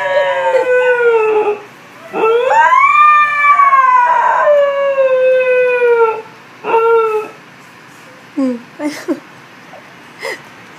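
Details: Pet Siberian Husky named Beatrice howls: a short falling note, then a long rising-and-falling howl, followed by shorter broken yelps and whines trailing off toward the end.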